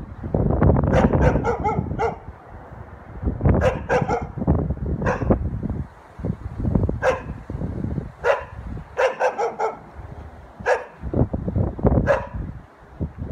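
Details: Dog barking repeatedly amid heavy low-frequency rumble and noise, sharp barks coming in irregular pairs and triples across the whole stretch, partly masked by loud background sound.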